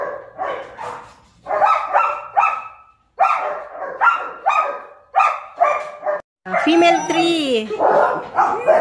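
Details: German Shepherd pups at Zondiram Kennel barking in quick, high-pitched yaps, several in fast bursts separated by short pauses, with a brief whining, wavering vocalization near the end.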